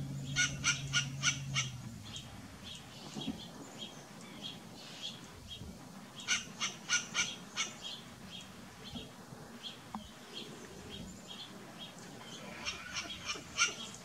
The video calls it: Barking western grey squirrel